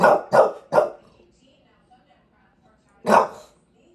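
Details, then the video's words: A bulldog in NYC, in the middle of a fifteen-minute rant, fires off three rapid harsh barks, pauses about two seconds, then gives one more loud drawn bark. "Part 2 of the 15 minute rant"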